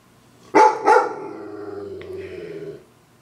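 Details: A dog barks at a zombie on a TV screen, giving two sharp, quick barks and then a drawn-out, wavering tone.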